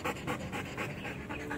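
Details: Belgian Malinois panting during training: quick, breathy huffs at roughly four per second, each a soft rushing burst of air, steady and rhythmic with no voices.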